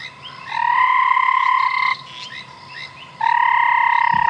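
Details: Banded rubber frog calling at sunset on March 5, 2017, after rain, on a safari drive in a game reserve: a long, steady, ringing trill of about one and a half seconds, a pause, then another, with soft background hum.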